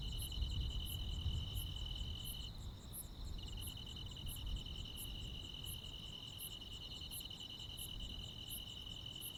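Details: Night insects and crickets in the Korean countryside during midsummer; the main high trill briefly drops out near the middle before resuming, while regular very high chirps continue about every 0.8 seconds above low rumble.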